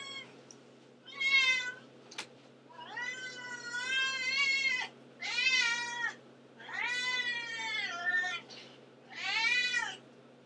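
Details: Constantly meowing house cat Antigone produces a run of six insistent meows over ten seconds, some long and wavering, others short, with a click between the first two and a steady low hum behind.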